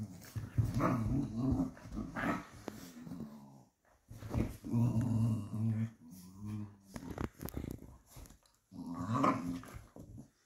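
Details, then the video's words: Two Patterdale fell terriers play-fighting indoors, growling almost continuously in deep, rough, throaty rumbles that rise and fall in long bursts with brief pauses, a faint whimper mixed in. "FIGHTING PATTERDALES. FELL TERRIERS OBSCURA AND ESTACADO PLAYING."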